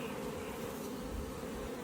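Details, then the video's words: Dense, even buzzing of a captured honey bee swarm during a hive frame check for the queen and brood; an unbroken mid-low hum fills the whole moment with little other sound. "Caught a bee swarm"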